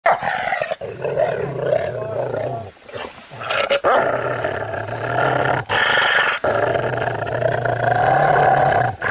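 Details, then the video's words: Angry Rottweiler growling loudly and continuously, a deep rumbling growl with rough harmonics, broken by a few short pauses for breath across nine seconds. "ANGRY ROTTWEILER"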